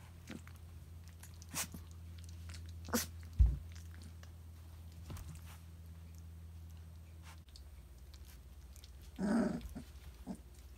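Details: Three-week-old Briard puppies indoors, with one short harmonic grunting growl near the end after a stretch of low hum, clicks and soft knocks.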